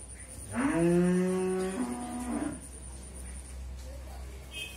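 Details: On a Bangladeshi dairy farm in Bhangura, Pabna, a four-tooth Friesian heifer, nine months in calf, lets out a single strong, low moo of nearly two seconds that fades out, leaving a quiet electrical hum.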